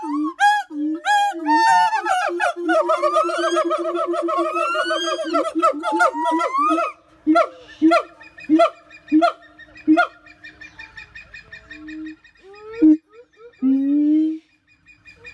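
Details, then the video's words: Siamang chorus: dense booming and rising whoops build together, then break into spaced sharp barks and shorter booms, ending with a long low boom. "Voice of Siamang"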